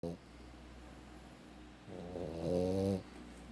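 A Boston Terrier snores with a deep, rough, rattling breath that swells and then stops abruptly.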